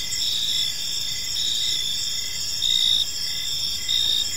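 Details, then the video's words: Crickets in a park at evening, high continuous trilling broken by a few louder chirp bursts lasting under half a second, faint low noise underneath. "Park Serenade: Cricket Sounds in a Peaceful Park | Evening Ambience"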